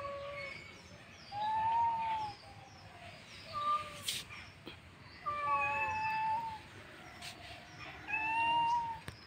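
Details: Domestic cats fighting each other, giving long, wavering, tonal yowls that rise and bend in pitch. The yowls come in drawn-out bursts about every two seconds, with brief quiet gaps and faint clicks in between.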